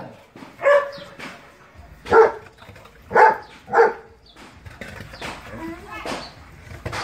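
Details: German Shepherd giving four strong barks, two of them close together, then quieter scattered yips and faint background sounds.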